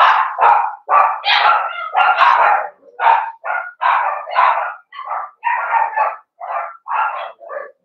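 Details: Blenheim Cavalier King Charles Spaniel puppies from a litter of five born at New Year's, in a home puppy pen on pick-up day, give a dense run of short, high, harmonic barks and yelps, almost without pause.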